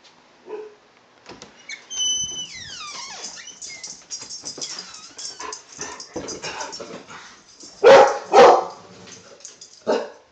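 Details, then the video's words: Two dogs, possibly Norwegian Elkhound mixes with curled tails, bark indoors to alert their owner to a delivery man dropping off a futon; a burst of sharp barks late on, with whines and rustling between. "letting me know the futon has arrived"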